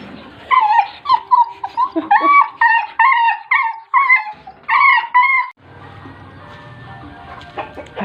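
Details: Pet dog during a trick session giving a rapid series of about a dozen short, high, whining yelps, each bending up and down, over five seconds, then quieter background rustling.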